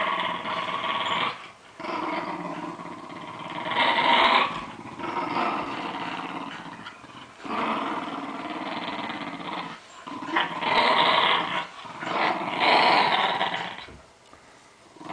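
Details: Lakeland Terriers in New Zealand playing tug of war, giving long rough broadband growls in bursts of two to three seconds, separated by brief pauses, sustained and rasping throughout.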